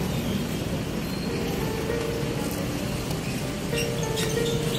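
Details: Loud, steady outdoor street noise of traffic with faint tonal sounds and occasional clinks.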